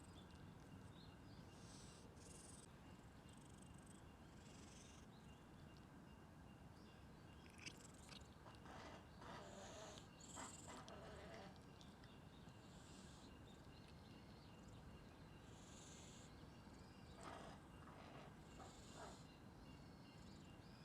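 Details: A brown tabby street cat, fearful at first, purrs steadily in a soft, continuous low rumble that won't stop while being stroked, showing contentment.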